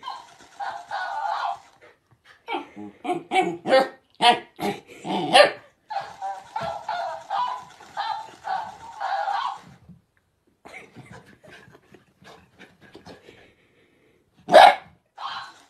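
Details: Playing puppies make busy bursts of high yips, whines and yelping barks, clustered in rapid runs for about ten seconds. A quiet stretch follows, then one loud sharp bark near the end.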